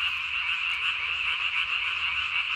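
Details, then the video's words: Calling after dark on 3 May 2020, a Japanese tree frog with a body-sized inflated throat sac; a constant, piercing pulsed trill fills the whole stretch, with gentle waves in loudness. "밤에 우는 청개구리 울음판이 몸통 만큼 크네요?"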